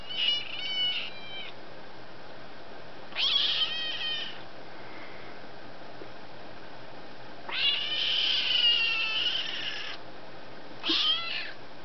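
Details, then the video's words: Indoors, kitten Duck-a-roo keeps screaming and talking at her owner, who answers her: four loud, high, rasping wails in about twelve seconds, some long and wavering, others clipped short, with quiet gaps between them. "My Kitten Talking, well Actually Screaming at Me"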